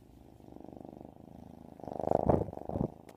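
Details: Half-bobcat kitten, ten weeks old and friendly, purring: a low rapid pulsing rumble that swells louder in the second half, with a few breathy bursts near the end.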